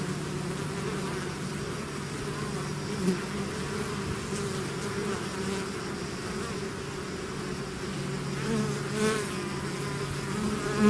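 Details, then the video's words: Natural buzzing of a bee swarm leaving its hive: an unbroken low hum with layered tones, a few individual bees whizzing past near the end. "bees therapy swarm natural buzzing sound"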